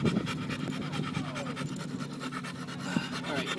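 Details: Simba, a Pit Bull at the park, eager to run toward another dog: fast, regular panting, quick breathy puffs repeating several times a second throughout, with little talk and open-air background noise.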